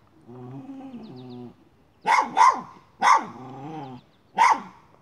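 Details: Miniature schnauzer after a chipmunk: a low steady whine-like growl at the start, then four loud sharp barks spaced about a second apart.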